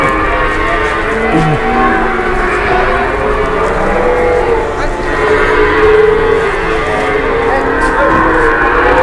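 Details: Cattle at a market, where a super-jumbo animal is brought in to be weighed. Low, drawn-out mooing with layered harmonics rises over a constant murmur of crowd chatter and general market bustle.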